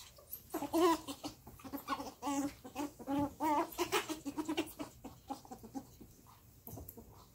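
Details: Squeaking and whining from pet ferrets Rusty and Jasper during play, which sounds almost like a fight; brief wavering whines repeat every second or so, then give way to softer clucking sounds and rustling.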